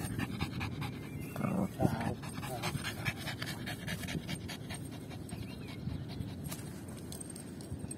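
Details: Lucy, a pet Yorkshire Terrier playing fetch, pants in short breathy bursts, strongest in the first two seconds, then fading; a woman's voice talks to her, and faint bird whistles sound in the background.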